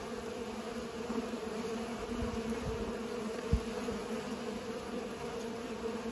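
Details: Pollinating bees hum in a constant, level buzz. One sharp low tap comes just past the midpoint.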